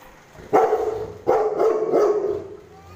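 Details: Pet Rottweiler barking at kids who are poking it: three deep, harsh barks roughly seven-tenths of a second apart, the last trailing into a growly tail, with faint voices behind.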